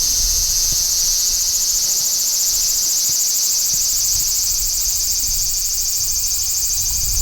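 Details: Large brown cicada song: a loud, steady, sizzling high-pitched drone that holds unbroken for the whole stretch, with a faint fast pulsing texture and a low background rumble.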